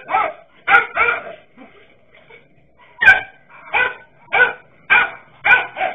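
A dachshund barks in sharp, harmonic bursts, roughly one every half second to second.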